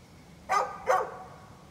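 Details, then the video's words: A neighbour's dog barking, captured 13 November 2020: two short, harsh barks about four tenths of a second apart against a quiet background. "Neighbor's barking dog"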